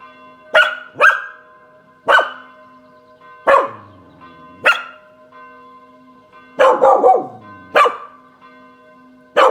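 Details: Kasper the Spanish Water Dog barks at Saturday 18:00 church bells while on a balcony in the sun; repeated abrupt barks, some in pairs and a closing cluster, over continuous bell ringing.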